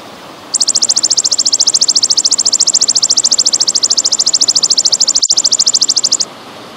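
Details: Golden grasshopper, in a paused track paired with trickling water for tutoring cage birds: a long, very fast, high-pitched buzzing pulse train lasting nearly six seconds at a steady rate, briefly cut by a click near the end, over quiet background hiss.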